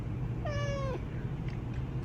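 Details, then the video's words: A sleepy male Japanese bobtail cat answers when spoken to indoors, giving one clear, drawn-out meow that starts high and slides gently downward, against a low background hum. "Talking Cat Doesn’t Think He’s Funny"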